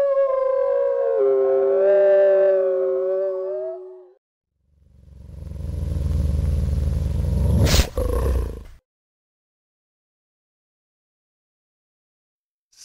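A gray wolf gives one long, smooth, mid-pitched howl lasting about four seconds that dips slightly near the end, followed by a low, rough rumble and a sharp click.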